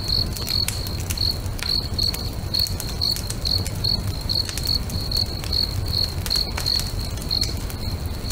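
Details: Crickets singing beside a lake at sunset, next to a crackling bonfire: a steady train of short, high, pulsed chirps, about two per second, over sharp fire pops and a low rumbling crackle.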